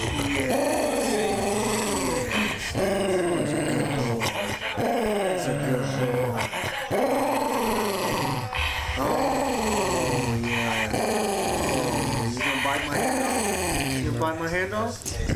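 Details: Pet dog growling nonstop while a person rubs and pets its head: long, wavering, rumbling vocal growls that rise and fall in pitch, continuous through the whole stretch, close and loud.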